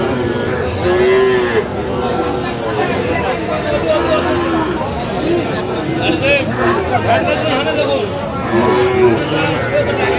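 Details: Sahiwal bull calves at a cattle market in Mymensingh, Bangladesh, on 11 October 2025, about four to five months old; short, low, wavering moos recur across the clip over a busy crowd with constant chatter and talking people.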